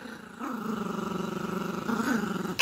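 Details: Yorkshire Terrier puppy at play with a dog toy and its owner, giving a sustained low growl, an even buzzing rattle lasting about two seconds and rising in intensity just before it stops.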